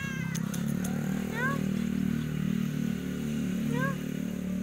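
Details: Cat stuck after a quick climb, unable to get down easily, giving two short, bent, upward-sliding mews a couple of seconds apart over a loud, steady engine-like drone.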